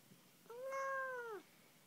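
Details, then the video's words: Indoor pet kitten that likes to talk, answering its owner's questions about penguins: one loud, smooth, drawn-out meow about a second long, slightly arched in pitch and falling at the end, in a quiet room. "TALKING CUTE KITTY"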